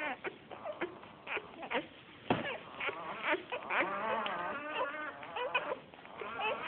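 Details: Australian Shepherd puppies from a litter born 12 August 2010 (red tri, black tri and blue merle) whine and yip in high, wavering, overlapping cries.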